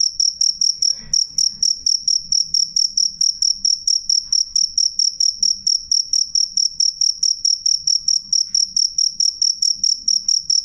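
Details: Shrill cricket chirps ring out clearly and loudly, a bright high note beaten in quick regular pulses a little over twice per second, with only a faint low murmur behind.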